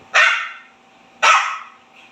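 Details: Pekingese dog, a spoiled pet used to table food, talking back when scolded: two sharp, loud barks about a second apart, each falling off quickly, in a quiet room.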